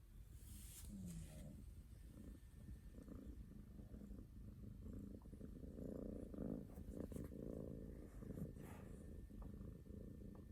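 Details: Rescued cats Aruto, an orange tabby, and Ranka, a calico, sleep hugging each other; a low, steady rumbling snore with short higher breathy bursts and a few sharp clicks over quiet room hum.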